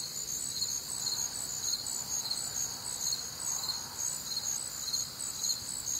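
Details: Crickets calling on a warm, humid Midwestern summer night, many voices forming a shrill, pulsing chorus, chirps beating just over twice a second, plus a soft mid-pitched insect hum in the background.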